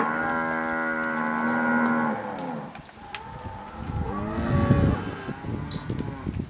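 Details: Cattle recorded in October 2023: one long steady, richly harmonic moo lasting about two seconds, then a lower rougher bellow that bends upward, followed by quieter grunting and shuffling.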